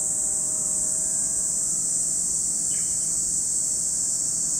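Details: Cicadas at Lake Kamo, Sado City, Niigata Prefecture, Japan, in a dense, unbroken high-pitched hiss that holds steady throughout, with a faint low hum underneath.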